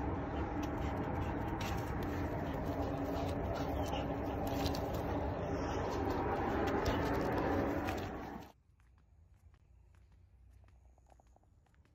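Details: Loud, steady engine-like rumble with a low hum that cuts off abruptly after about eight seconds, leaving near silence with faint ticks.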